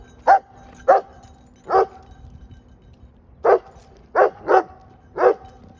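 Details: Redbone Coonhound. A Redbone Coonhound barks in short, punchy bursts, three quick ones, a pause, then four more. Each bark is brief and forceful over a faint steady hum in the background.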